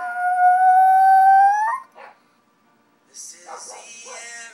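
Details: A female Shih Tzu gives a long, steady, high howl that swells and lifts in pitch at its end, singing along as she always does to one particular song.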